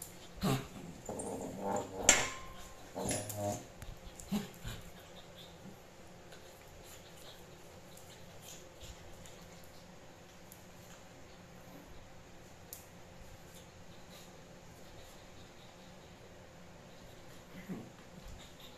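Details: Chihuahua puppy play-fighting indoors with a Japanese dog, called its sister; a few short growly grumbles and whimpers in the first five seconds, then mostly quiet room with faint scuffling and a soft sound near the end.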